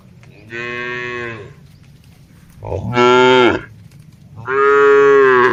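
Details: Herd of tame cattle grazing on a broad green field, mooing to one another; three loud, sustained, deep moos in quick succession, each close to a second long, over a low background rumble.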